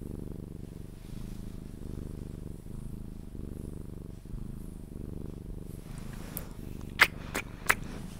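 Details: Cuddled Sphynx cat purring as it drifts toward sleep: a soft low rumbling purr in regular breath cycles, then a few sharp clicks or kiss-like smacks near the end.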